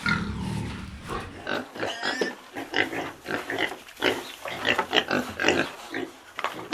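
A pig grunts repeatedly in short, rough, nasal bursts, some rising into brief squeals.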